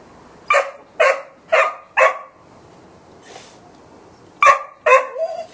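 A Golden Retriever barks in a steady series, then pauses and adds two more barks.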